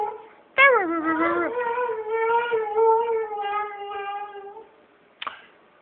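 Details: Indoors, the 12-year-old Siberian Husky Tuscany lets out a howl that swoops sharply down, then holds a wavering, slightly warbling tone for about three seconds before fading; a brief click follows near the end.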